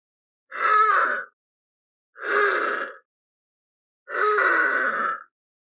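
Harp seal giving three hoarse, moaning calls, each under a second long and spaced about two seconds apart.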